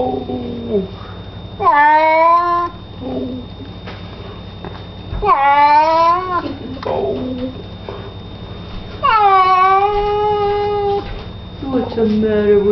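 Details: A cat being bathed in a small indoor room gives drawn-out, strained meows roughly every four seconds. The calls are rich and harmonic, dipping and then leveling. Shorter mews and quiet handling noises come between them.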